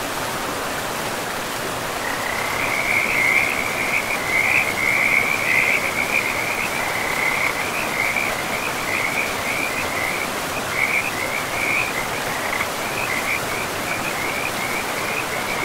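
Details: Frogs in a pristine forest beside a river, calling in a continuous high, rattling trill that wavers slightly in pitch and pulses in quick rough bursts, over a steady rushing wash of flowing water.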